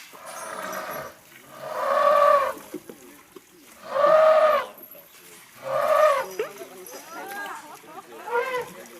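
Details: Elephant giving three harmonic trumpet blasts about two seconds apart, each roughly a second long with a steady, slightly arched tone; softer, warbling vocal sounds follow at the end.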